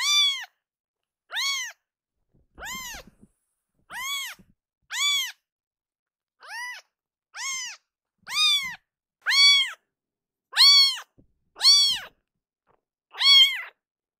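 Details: Sudden loud crying by a rescued kitten, a baby cat in foster care that quiets and kneads when cuddled: a steady series of about twelve short arched meows, roughly one per second, in a quiet room.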